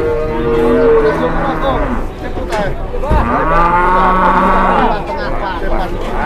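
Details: Large bulldozer-sized cattle in Indonesia struggling to climb onto a truck. Long, drawn-out lowing moos with clear harmonic bands, several overlapping and bending in pitch, over a steady background murmur of people.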